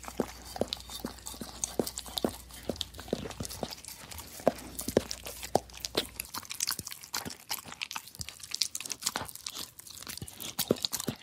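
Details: Dog licking a plate, a steady run of sharp wet lapping clicks about every 0.4 seconds, with soft crackly noise between strokes and a low hum fading out midway.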